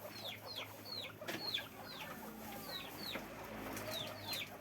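Guinea pigs give high, thin squeaks that slide downward, repeated several times a second.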